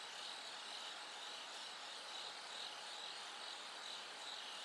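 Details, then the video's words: At night, as the sky slowly lightens, a bell cricket gives bright, tinkling high-pitched chirps in quick succession, roughly two or three each second, over a dense background of insect hiss and a faint steady hum. "bell cricket Cry of falling insects It gets brighter gradually from the night"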